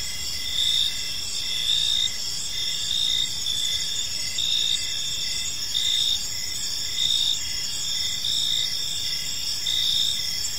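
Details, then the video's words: Evening ambience of crickets in a peaceful park, rhythmic high-pitched chirps arriving about fifty times a minute above a continuous shrill insect hum, with no other distinct sounds. "Park Serenade: Cricket Sounds in a Peaceful Park | Evening Ambience"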